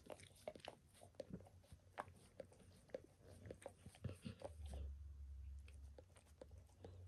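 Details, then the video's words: Pet dog Max giving himself a bath indoors, licking paws, then a nearby foot, shin and knee; rapid wet smacking licks about twice a second, with a low steady hum rising midway through a small room. "Max Licks | Dog Licking Sounds"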